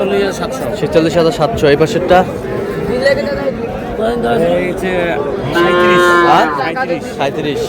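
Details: Market-day scene on 24 February with Sahiwal bull calves being purchased by a Noakhali farmer; scattered moos build to a long, strong bellow near the end amid chattering people.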